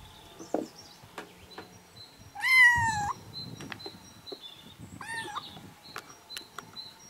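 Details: Two brief kitten meows, the first loud and strained, the second softer, over background rustling and a faint high tone.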